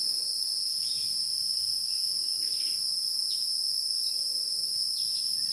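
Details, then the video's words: Insects living in the wild: constant shrill, metallic whine held at an unchanging pitch for the whole stretch, with occasional soft brief chirps and very quiet background hiss. "Get to know insects that exist in the wild, namely beetles, ants, dragonflies, flies, bees"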